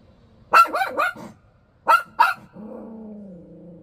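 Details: Bichon Frise. A Bichon Frise barks in short, high, snappy bursts, three in quick succession and then a pair after a brief pause. A steady, slightly falling whine follows the last bark and trails off.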